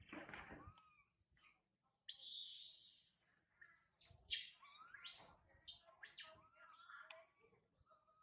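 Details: Young monkey Sario crying loudly high in a tree after her mother Sarah left her: a long harsh shriek and several sharp high squeals, with thin wavering whimpers between them.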